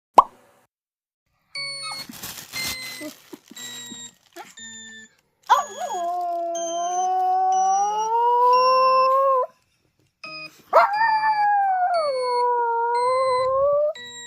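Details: Maltipoo puppy howling in reaction to a played sound: two long, wavering, wolf-like howls lasting about four seconds each, rising sharply then sagging and holding steady, over repeated stepped electronic beeping tones that start before the dog joins in.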